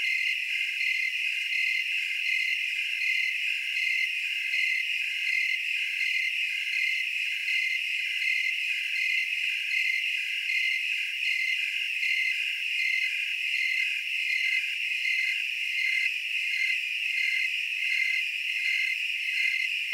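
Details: Tree crickets in a dense chorus in Oregon's Willamette Valley, a sustained piercing trill with evenly spaced pulses beating steadily across twenty seconds, uniform and without other sounds.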